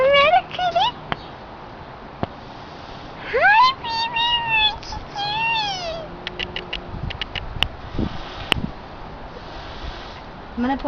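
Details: Pet cat called little Satan, flipping out as it is about to be anointed with oil: a short rising-falling meow, then long, drawn, wavering meows with a falling end, followed by sharp clicks, with women's voices talking throughout.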